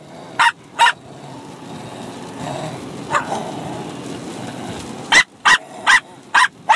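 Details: Bichon Frise puppy, six months old, and an adult dog barking at each other while fighting and playing: sharp high yappy barks in two pairs, a gap with faint noise, then five quick barks near the end.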